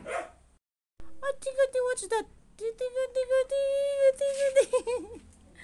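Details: Siberian Husky arguing, sounding off in a loud run of clear, level howled notes. Short yips lead into sustained mid-pitched wails, each ending in a downward bend, then choppy wavering notes close the outburst.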